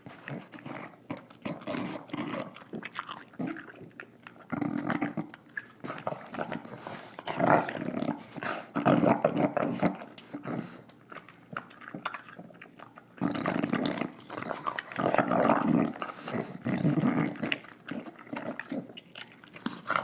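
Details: Female English Bulldog named Nila snorting and snarling while eating her dinner indoors: rough, broadband snorts and low growly bursts in rapid irregular clusters, with a brief quieter lull midway before dense snuffling resumes.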